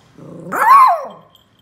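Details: Joy, a Lhasa Apso pup, gives one of her first barks during play: a single drawn-out bark that starts as a low growl, climbs in pitch and slides down again, lasting under a second.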